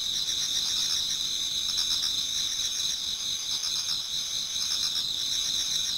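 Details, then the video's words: Garden in Japan toward dawn in autumn, many insects singing at once: a constant high metallic trill with gentle pulsing chirps swelling and easing every few seconds. "Autumn Insects voice Towards dawn"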